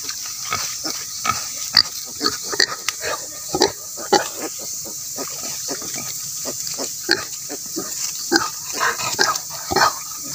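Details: Grunting and squealing from native pigs raised for breeding, many short irregular bursts, some louder squeals standing out, above a constant high hiss throughout.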